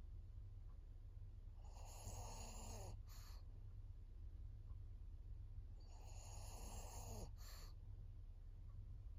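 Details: Japanese senior pug Maria, a 14-year-old fawn female, on 22 September 2024: loud rasping snore-like inhalations recur about every four seconds, each followed by a short snort, over quiet room hum.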